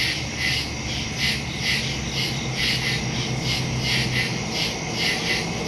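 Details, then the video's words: Nighttime woodland crickets, captured September 2, 2023 on a Samsung Galaxy S22 Ultra with a Shure MV88+ stereo mic: a steady chorus of shrill, rhythmic chirp pulses, several callers overlapping, with a soft low drone beneath. "Crickets in the woods at night"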